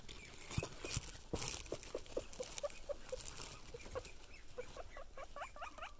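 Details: Pet guinea pigs wheeking excitedly on seeing their owner: a run of short squeaky notes that quicken and rise into sharp upswept whistles toward the end, over rustling and light patter.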